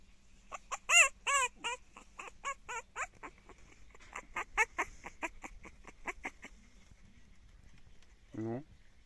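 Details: Resentful French Bulldog puppy giving a burst of high, squeaky yelps, then a quick run of short sharp yips repeated several times a second, ending with one lower grumbling whine; a woman laughs and coaxes it to bark.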